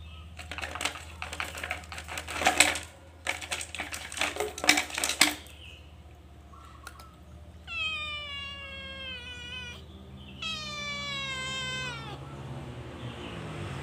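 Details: Calico cat caught stealing food in a cage; rapid clattering and rattling at first, then two clear, long meows that dip at the end, over a steady low hum.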